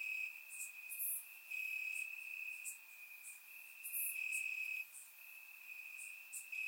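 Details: Warm summer night in Bulgaria with crickets chirping in the grass: one sustained shrill trill runs almost unbroken while a few louder, very high chirps stand out above it.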